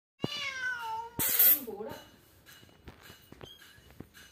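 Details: Persian cat with kittens, kept in Kerala: a clear descending meow with rich harmonics, followed by a shorter meow and rustling, then quieter clicks and faint room noise.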